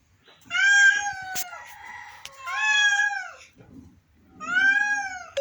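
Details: A sick pet cat gives three long, plaintive meows about two seconds apart, each sliding slightly downward, in a quiet room with faint knocks between the calls.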